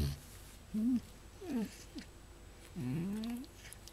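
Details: A pet fox, described as biting while affectionate and sometimes sounding like a pig, gives three short low grunting, squealing calls, the last one longer and wavering, in a quiet small room with a person talking softly nearby.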